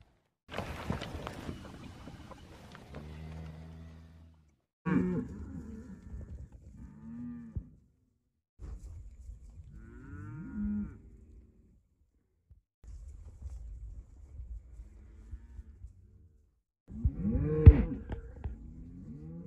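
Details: A cow lowing in several separate moos, each a low drawn-out harmonic call rising and falling in pitch, with quiet gaps and a soft rustle of background noise between calls.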